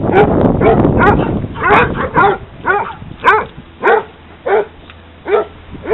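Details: Hounds playing in a dog park: crowded, noisy barking at the start gives way to spaced single barks every half second or so, each a sharp harmonic yelp over low background hum.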